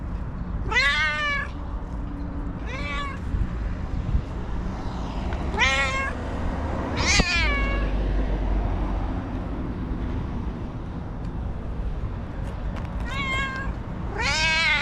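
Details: Cranky white female house cat, nervous and meowing constantly: roughly six harsh, wavering meows spaced a second or more apart, several bending upward at the end, over continuous low-pitched background hum.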